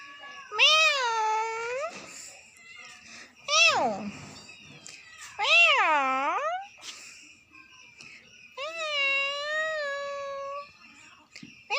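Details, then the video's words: A very angry cat yowling: four long, drawn-out wavering howls, each rising and falling over one to two seconds, one ending in a harsh hiss-like rasp, with faint speech between them. "see my pussy🤣🤣😂😂very angry"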